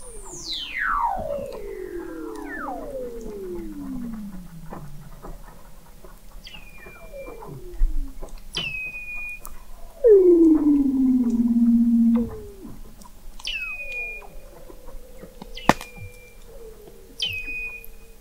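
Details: Weddell seal song beneath thick sea ice in McMurdo Sound, Antarctica, from an observatory 21 m under the ice in November 2017: long descending whistles, a loud falling glide midway, short high chirps repeating.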